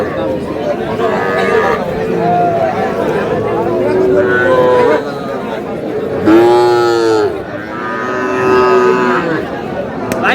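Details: Cattle lowing at Aftabganj market in Dinajpur district, where a Chattogram farmer buys a Sahiwal bull calf on Saturday. About five mooing calls come over ten seconds, the loudest a deep, falling bellow midway, with voices bargaining around.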